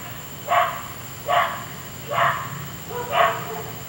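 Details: Night-time barking from a dog next door that kept people awake; four distinct, sharp barks spaced under a second apart, each punchy and mid-pitched, against a quiet humming background.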